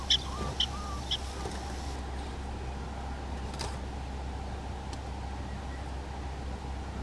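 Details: Prairie dogs in a small prairie dog town in North Dakota, filmed with a Canon SX70HS: three short, sharp chirping barks about half a second apart at the start, then steady wind and low rumbling background noise.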